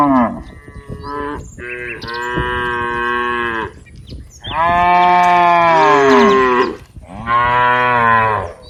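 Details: A herd of dozens of cows playing together in green rice fields calls with loud, overlapping moos, some rising and falling in pitch, in an almost continuous chorus of drawn-out lowing.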